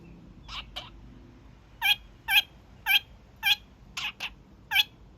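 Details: Young male pet kakariki at his daily evening honking: two softer opening honks, then a string of louder, punchy nasal honks about every half second, ending with a quick double note.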